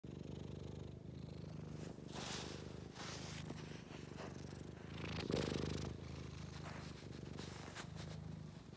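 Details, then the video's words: Scottish Fold cat purring steadily: a low, continuous rumbling purr with rhythmic pulses, swelling slightly around the middle, with faint rustling in a quiet indoor setting. "고양이 그르릉"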